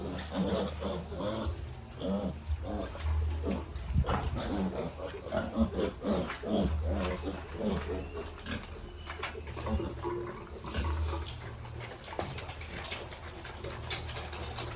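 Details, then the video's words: Young piglets on a farm making a dense run of rapid grunts and thin squeals during the first half, then quieter sporadic calls, with a continuous low hum throughout. "Piglets baby"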